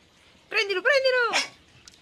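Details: A 16-week-old Pembroke Welsh Corgi puppy playing in a swimming pool with a ball gives a single drawn-out, high whining yelp that bends downward, followed by a short squeaky rise, with a faint click after.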